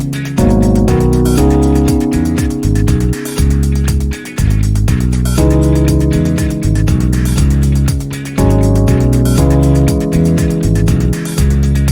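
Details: Loud steady music with plucked guitar and bass fills the recording, with no animal sound heard.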